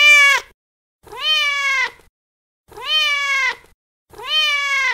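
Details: Domestic cat meowing, sounds meant to attract cats; four clear harmonic meows, each rising then gently falling, roughly one per second with silent gaps between, no other sounds.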